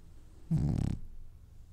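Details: Single short, low, growly snore from a sleeping French Bulldog that is dreaming, about half a second long, fluttering and rough, then silence.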